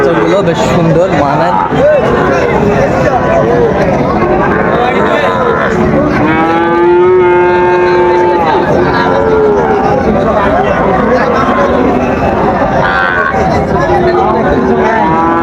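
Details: Sahiwal bull calves at Raniganj livestock market, 5 September 2024; amid continuous market chatter and background din, one long, level, low-pitched moo rises out around the middle, held for about two seconds, then fades back into the crowd noise.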